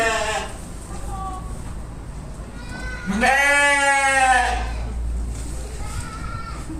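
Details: Sheep calling: one strong, wavering bleat lasting over a second near the middle, with fainter bleats from other sheep before and after, and a low rumbling background.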